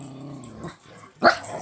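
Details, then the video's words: A dog gives a low, steady rumbling growl with a stacked harmonic tone, fading after about half a second, then a short, louder broad burst like a sharp huff or bark near the end. "Dog rumble"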